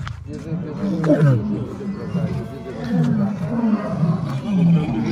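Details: Captive lions at the Taigan lion park near Belogorsk, Crimea, during an evening show, the lionesses said to be in a bad mood: deep, rough growls sliding downward, around one, three and four and a half seconds, while a man talks over them.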